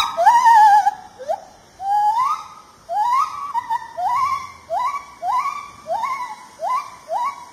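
A lar gibbon calls with clear, musical whoops, each note sliding sharply upward. The hoots start long and wavering, then shorten into a quick run of rising notes about every half second.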